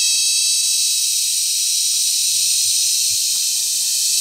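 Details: Cicadas during cicada season at Sitio Bagumbayan, Brgy. Balabag, La Carlota City, Negros Occidental, recorded up close on July 18, 2020 while mating and calling loudly: a steady, dense, very loud high-pitched shrill buzz without pause.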